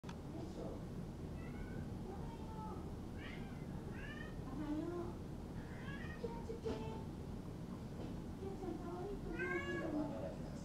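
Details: Silver female Maine Coon at a Tokyo cattery breeding kittens, indoors, giving short, rising-falling meows several times over steady room noise, with people talking in the background.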